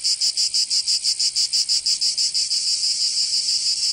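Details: Provençal cicadas in summer, southern France, a piercing high buzz beating in crisp regular pulses, roughly three per second, smoothing into a steadier hiss toward the end.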